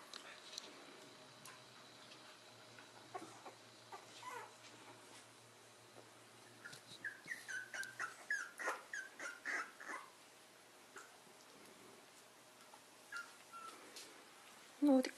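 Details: Corgi at play, chasing about, gives a run of short, high yips and whimpers in a quick burst mid-clip after faint scattered sounds, with laughter just before and a loud thump at the end.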